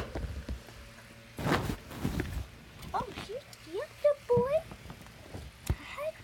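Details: Pet guinea pigs being handled at home: a run of short, rising squeaks and chirps, several in quick succession in the latter half, over handling noise and a person talking.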